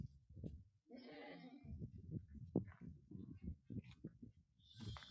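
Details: Small goat kids kept for sale at Unnati Goat Farm in Aurangabad, Maharashtra, India; one short, wavering, harmonic bleat rises just after the first second, surrounded by low rumbling handling noise, thumps and faint voices indoors.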